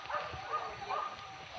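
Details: Hunting dogs chasing wild boar pests in Padang Pariaman, Indonesia, give a short run of high yelping barks and bays, several dogs calling over one another in quick succession.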